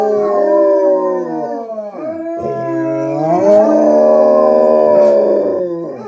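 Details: Four Basset Hounds, two of them howling off screen, give drawn-out, mournful howls whose voices slide, waver and overlap; rich harmonic tones rise and fall continuously with brief breaks between breaths. Basset Hound.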